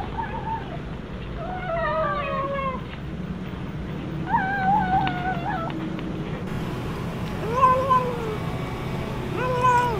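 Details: Cat eating fish by itself, refusing to share its food with its mother; repeated harmonic meows, several bending downward, come in clusters over constant low background rumble.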